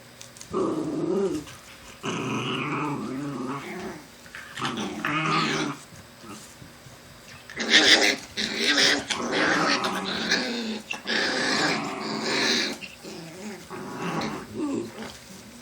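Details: Black Shiba Inu family, the dogs Kotaro and Sakura with their puppies, indoors; rumbling, voiced growls in bursts of one to two seconds, rising into louder, harsher stretches midway, with short quiet gaps between.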